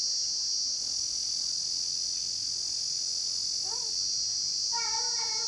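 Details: Insects, thought to be crickets, trill loudly in daytime rain in a steady, high, unbroken chorus, with a brief human voice near the end.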